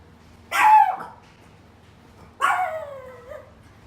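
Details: A dog barks twice, about two seconds apart. Each bark is short, harsh and bright, with a strong onset that drops in pitch, over a quiet background. The barking is presented as a common behaviour problem and a natural instinct.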